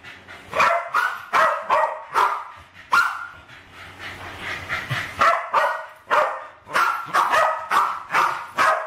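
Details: Two West Highland White Terriers, Alfie and Crystal, aged around 7 and 8, attack balloons while playing in a kitchen in 2012. They give rapid, sharp barks in quick bursts, roughly fourteen yaps over nine seconds, bright and overlapping.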